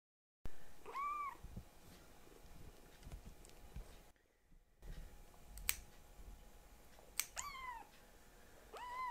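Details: Rescued foster kitten, Akuro or Ashiro, meowing in protest during nail clipping indoors; three rising-falling kitten meows spaced several seconds apart, with clicks of the clippers and soft handling noise between calls.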